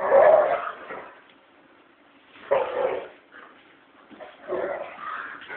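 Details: Cyrus, a five-year-old male American Pit Bull Terrier, playing with Leia, his puppy from his first litter; both growl while playing. Three rough growling bursts with pauses between them.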